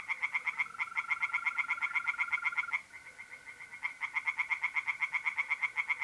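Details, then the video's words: Pond tree frogs calling by night in mid-April, north-east Italy: rapid, evenly spaced pulsed croaks run throughout, with a brief pause midway, over a continuous high-pitched mole cricket trill that fades in and out. "relaxing singing tree frogs in pond"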